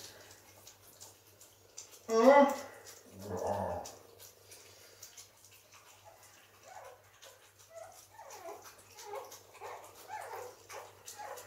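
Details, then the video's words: Pekingese puppies eating and romping indoors: a loud harmonic yelp around two seconds, then a run of small, high, chirpy squeaks and whimpers, with faint background voices in a small room. "Pekinese Welpen beim Fressen und Toben"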